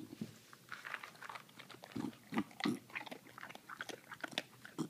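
An English bulldog gives irregular snuffling grunts mixed with wet, clicky, chewing-like noises.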